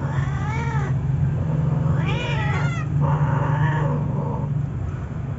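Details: A Siamese cat gives drawn-out, wavering yowls while mating with a male puspin, over a low steady hum.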